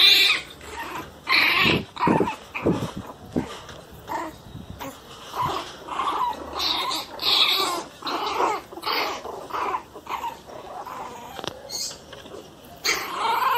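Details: A Miniature Pinscher cries very loudly in short, strained bursts of whining and grumbling, repeated irregularly.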